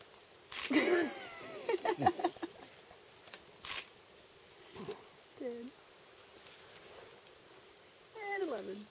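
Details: A baby diademed sifaka (Propithecus diadema) at Maromizaha gives thin, mewing calls that waver and slide downward, with a few words spoken nearby.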